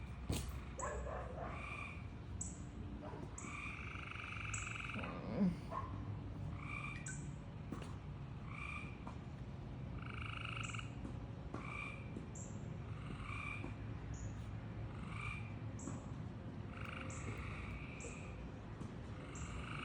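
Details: A frog making weird noises: nasal, buzzy croaks with layered tones, given in bursts roughly every one to two seconds, alongside short high chirps repeated steadily throughout, over a constant low rumble.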